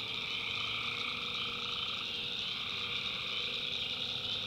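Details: A continuous high buzzing chorus of tree frogs, recorded at night in the backwoods of North Carolina, with a steady fainter mid-range trill and a low background rumble.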